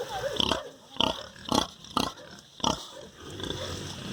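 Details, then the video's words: Sow with piglets on a farm giving five loud, rough, short grunts spaced about half a second apart, followed by softer background snuffling. "Som do Porco, Real Animal Sound: Pig. Som real dos animais: Porco, leitão, porca."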